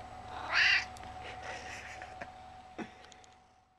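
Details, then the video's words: Gizmo, a chatty 11-year-old male domestic cat, lets out a single brief, bright meow early on, followed by fading soft rustles and small clicks in a quiet indoor room. "Meet Gizmo! he's so talkative!"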